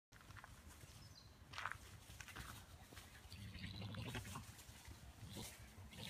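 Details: Two European badgers in a Swedish garden make low, rough, engine-like growls and bleat-like squeals. It is unclear whether they are fighting or mating.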